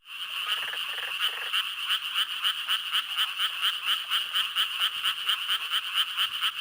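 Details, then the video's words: Japanese treefrogs in Korea, heard almost everywhere in spring, give a rapid, repeated, nasal croaking chorus of bright beeping pulses. "First, here’s what Japanese treefrogs sound like."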